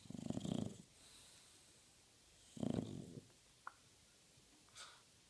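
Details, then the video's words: A bulldog asleep on a couch snores indoors: two low, rough, rumbling breaths about two and a half seconds apart, each lasting roughly half a second, with quiet breathing between and a faint click afterwards. "the bulldog snoring"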